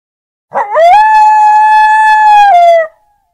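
A lone coyote howl opens with a short wavering rise, then holds a long, even, clear note for about two seconds. It ends with a slight downward slide into silence.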